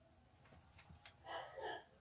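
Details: A cat gives two short meows in quick succession, the first a bright harmonic cry and the second slightly lower, after a stretch of faint soft breathy noises in a quiet room.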